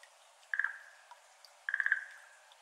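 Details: Schlegel's green tree frog, a species endemic to Japan, calling at 6:53 pm on 17 May 2022 in a flooded iris garden, recorded binaurally with an ambisonic microphone: two short, rapidly pulsed rattling bursts, each trailing off, over near silence.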